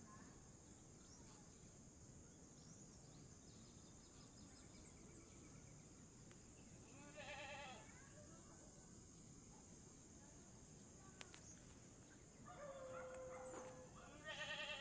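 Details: Mother goat having a hard time giving birth while being helped to pull her kid out; a short wavering bleat midway, then a longer quavering run of harmonic bleats near the end over constant background hiss and some human voices.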